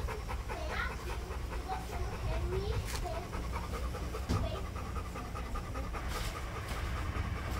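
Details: Rapid rhythmic panting from an American Bully puppy, soft breathy bursts repeating continuously beneath a low steady hum, with faint speech-like sounds in the background.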